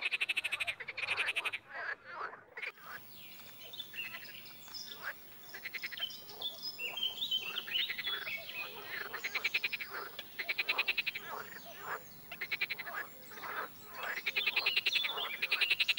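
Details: Frogs croaking, sometimes together in chorus and sometimes singly: dense, rapid rattling pulse trains overlapping almost continuously, swelling and fading, with a few thin whistled notes mixed in.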